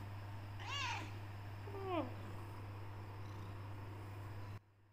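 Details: Talkative black tortoiseshell Persian cat, female, meowing indoors when wanting out of the room or wanting food; two clear meows, the first higher and arched, the second lower and falling, then quiet over a steady low hum.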